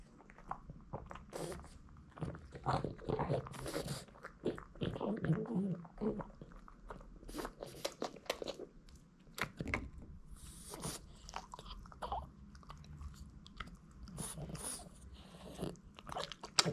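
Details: Boston Terrier Hiro gnawing new dog snacks, little hard duck bones, in a small indoor room: irregular dry crunches and bites, about two a second, with wet chewing between and brief quiet gaps.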